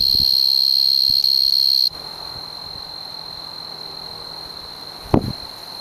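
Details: A male tree cricket, probably the four-spotted tree cricket (Oecanthus quadripunctatus), sings a steady, high, unbroken trill in the Oldman River valley, Lethbridge, Alberta.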